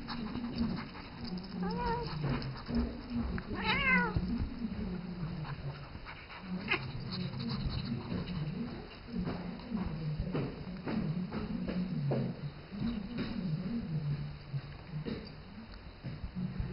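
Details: Isis, a seven-year-old domestic cat, calls to Rambo, a three-month-old ferret she treats as her baby; two short rising meows with clear harmonics sound early, over a steady low hum and scattered rustling and thumps of play.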